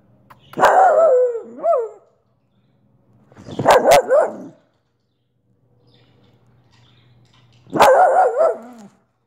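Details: Soft Coated Wheaten Terrier pet dog barking indoors: three loud, drawn-out harmonic barks with wavering, falling tones, each about a second long, separated by pauses of one to three seconds, with faint background hum.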